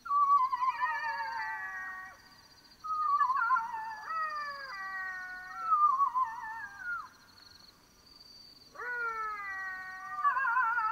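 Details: Black-backed jackals calling at night in the African bush of Botswana: wailing howls that rise then slide down, each with stacked overtones, given in bouts with short pauses between, over a faint steady insect hum.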